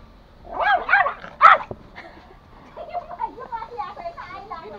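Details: Pomo, a male toy Pomeranian pet born April 2017, kept in Kathmandu, Nepal, angrily attacking: two sharp, high yapping barks in quick succession, followed by softer wavering vocal sounds in a quiet indoor room.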